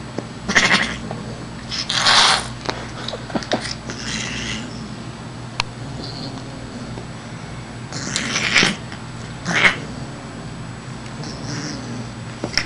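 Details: A female Siamese cat, playing with a wand toy, gives short, harsh, rasping yowls in separate bursts with quiet gaps; she is playing, not angry.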